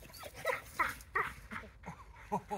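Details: A Staffordshire Bull Terrier in protection training with a decoy barks in rapid, rough bursts, several each second, while a man gives brief commands.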